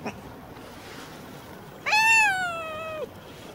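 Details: Stray tuxedo cat with a mustache-like marking, being brushed and grooming itself, gives one clear drawn-out meow lasting about a second, steady then falling at the end, after a brief faint sound at the start; otherwise quiet.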